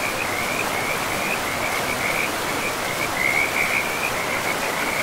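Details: Frogs calling by a river deep in a pristine forest, a high pulsed trill running almost without pause throughout and swelling near the end, over a steady broad rush of flowing water.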